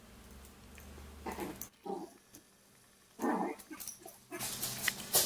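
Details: Shih Poo, a shih tzu and mini poodle cross, giving short rough growling bursts: a few separate low grumbling pulses with quiet gaps between them, then a hissing rustle at the end.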